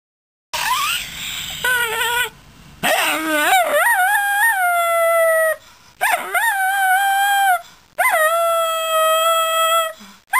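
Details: Miniature Schnauzer singing her song: long, clear, tonal howls that swoop upward and then hold steady, in four drawn-out phrases separated by brief pauses.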